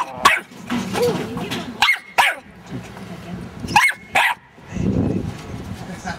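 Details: A blue-grey Staffordshire Bull Terrier puppy with white chest markings gives sharp single barks in pairs while guarding a van, with a person talking between them.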